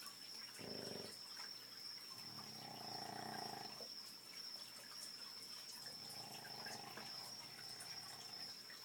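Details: Boston Terriers snoring at night around 2 am, heard from the next room; a few uneven rasping snore bursts, one short and two longer, separated by quieter breathing, over a steady high-pitched whine.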